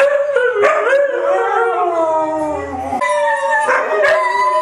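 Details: Three white huskies howling together, several long overlapping tonal voices sliding and wavering in pitch, layered into a continuous chorus with brief sharper yips at the start and near the end.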